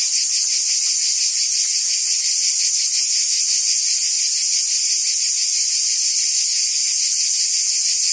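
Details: Cicadas buzzing in forest trees fill the air with a steady, shrill buzzing drone that never pauses.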